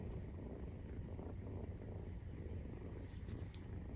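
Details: Maine Coon purring while nursing 43-day-old kittens: an even, low vibrating rumble that holds without a break, with faint soft rustles in the background.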